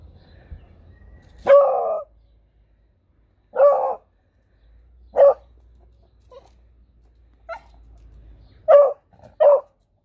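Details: Pet beagle bitch yapping excitedly during play, short sharp barks scattered irregularly over ten seconds with quiet pauses between, a faint low hum underneath.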